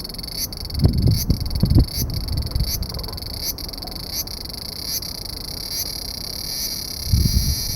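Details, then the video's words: Large brown cicada calling from under a loquat tree branch, partly concealed: a steady, harsh sizzling drone with short regular breaks, plus a few low thumping knocks near the start and end. "セミの鳴き声２～アブラゼミ～Large Brown Cicada"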